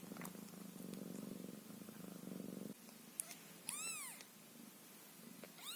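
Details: Young ginger Scottish Fold kitten Caramel, eyes only just opening, purrs in a rapid pulsing rumble for nearly three seconds, then gives one sharp arched mew after a pause, with faint purring continuing.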